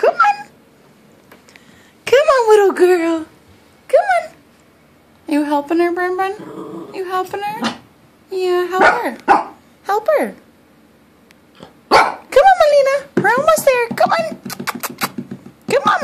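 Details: Female puppy Molina crying because she needs help going up the stairs, eventually making it. Repeated high, wavering whines and yelps come in short bursts, interleaved with a person's steady encouraging speech indoors.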